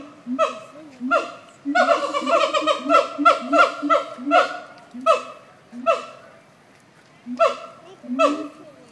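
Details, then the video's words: Siamang apes at the Nashville Zoo giving loud, harmonic, barking calls in bursts, with a rapid rolling run of repeated notes in the middle and spaced single barks near the end. "Siamang apes at The Nashville Zoo"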